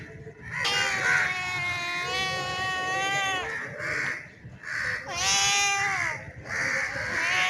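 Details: Male street cat resembling a bengal, calling to a female in heat: two long, drawn-out harmonic yowls, the first sustained for about three seconds and wavering slightly, the second rising then falling, separated by a brief quieter gap.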